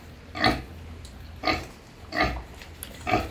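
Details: Farmed wild boar sow suckling her striped piglets in the sun; four short nasal grunting squeals spaced about a second apart over quiet low rumble.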